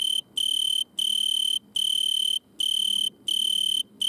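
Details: Italian tree cricket stridulating at night in a butterfly bush, lit by a red lamp; steady, high, pure chirping trill delivered in bursts of about half a second, separated by brief silent gaps, six bursts in four seconds.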